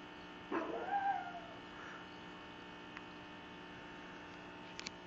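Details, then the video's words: Cupcake, a little female pug, vocalizing at her sister: a short yelping onset sliding into a thin, wavering whine that fades within a second, over a steady electrical hum. "Pug Rhetoric: Cupcake explains the merits of individual ownership and capitalism"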